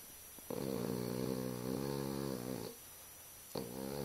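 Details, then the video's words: Sleeping Boston Terrier snoring with an eye open indoors: one long, rough, buzzing snore of about two seconds with stacked harmonics, a brief pause, then the next snore starting. "Boston Terrier snoring"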